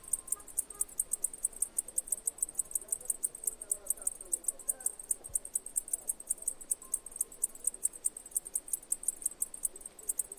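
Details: Steady high buzzing pulses of a cicada repeating several times a second, with faint brief whistled tones and soft murmur beneath.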